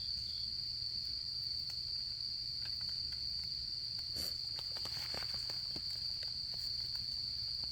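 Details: Autumn insects singing beside a campfire at a solo camp: one steady, high, unbroken trill holds throughout, while sharp wood crackles and pops from the fire scatter across it, clustering around the middle.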